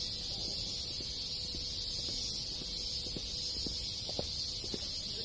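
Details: Many cicadas in rural Japan on a summer day hold one unbroken, sizzling high drone. Other insects and scattered low clicks and taps are heard beneath.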